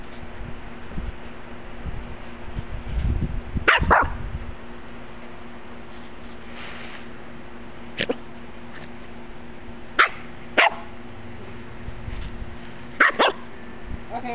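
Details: Chow Chow puppy (Canis familiaris), bark.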